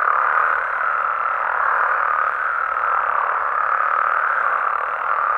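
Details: Frogs and toads of Mexico calling after dark; a continuous massed croaking drone, even and dense, with a slight dip in intensity midway before rising again.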